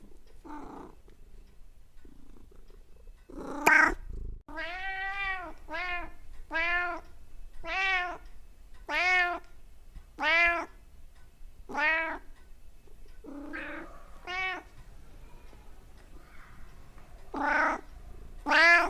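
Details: Cat uttering odd, comical sounds: a couple of soft opening calls, then a long run of about a dozen clear, insistent meows at an uneven pace, some brief and chirpy, others drawn out, in a quiet room.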